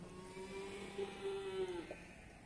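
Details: Cattle at the Pasar Wage Bumiayu livestock market in Indonesia: one steady, low, droning moo lasts nearly two seconds and dips slightly at its close, over a soft murmur of market crowd noise.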